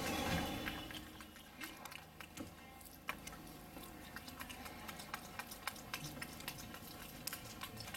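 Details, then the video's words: Capuchin monkey named Wolfgang smacking its lips while eating a Johnsonville bratwurst; quick wet clicks and smacks repeat rapidly, about four per second, after a louder rustle at the start. "capuchin monkey Wolfgang "Eats a Johnsonville brat / with lips a smacking""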